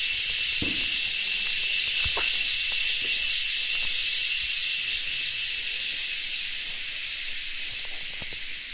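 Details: Crickets in a dense, unbroken chorus: a steady high hiss that holds nearly level throughout, with a few faint low knocks underneath.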